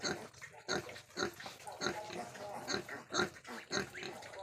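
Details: Crossbred wild boar giving short, harsh grunts in a steady series, about nine bursts roughly every half second, each one rough and nasal with a bright upper edge; no other clear sounds.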